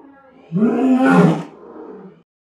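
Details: Lion roaring, a sound made to declare its territory and warn other animals away: one loud, deep, harmonic roar lasting about a second and a half, then fading into a lower trailing rumble.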